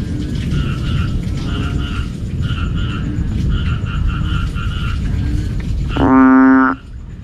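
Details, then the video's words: Banded bullfrog calling in the evening, loud enough to keep people awake: a deep, drawn-out moan lasting under a second near the end, over a dense low rumbling chorus and a repeated paired chirping from other callers. "Tiếng Ểnh Ương Kêu Buổi Tối"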